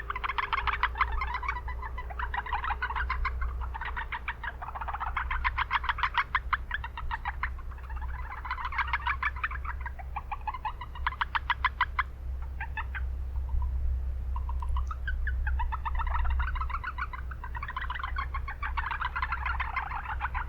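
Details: Urban marsh chorus of Japanese brown frogs: repeated bursts of rapid pulsed calls, many callers overlapping for twenty seconds, set against strong low-frequency city noise.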